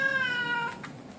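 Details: A male blue Oriental Shorthair cat, indoors with its cat sitter, ends a long steady meow that fades and drops slightly in pitch, then a brief soft noise.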